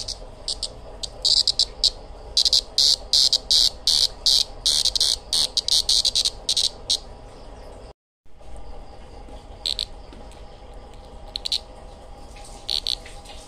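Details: A cricket, called kuliglig, chirps in shrill, high-pitched pulsed bursts repeated rapidly in uneven runs. The bursts fade after a brief gap and then return as sparser chirps. A few words of speech are heard at the start.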